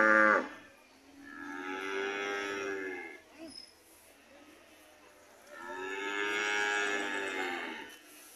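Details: Red cows on their way home lowing: a brief sharp onset, then two long drawn-out moos about two seconds each, arching in pitch, separated by a quiet pause.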